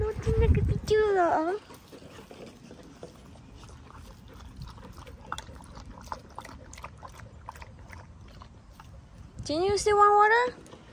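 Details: Samoyed dog in summertime lets out two bursts of wavering, howl-like moans that bend up and down in pitch, one at the start and one near the end, with soft rustling and handling noises in between.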